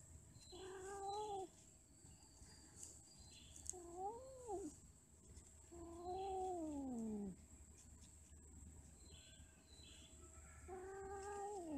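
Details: Cats mating and quarrelling, giving a series of moaning caterwauls: five wavering yowls, some rising then falling, one long sliding wail near the middle, spaced a few seconds apart over steady low background hum.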